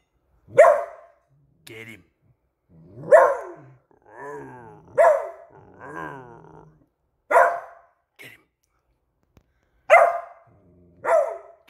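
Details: Beagle barking nonstop at a squeaky toy, which puts it in alert mode; six sharp barks every couple of seconds, mixed with a person urging it on, saying "get him".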